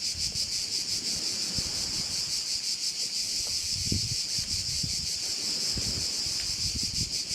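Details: Crickets heard over a bay on Korčula give a constant high, shimmering trill with quick regular pulses. Low wind noise and scattered soft thuds sit underneath.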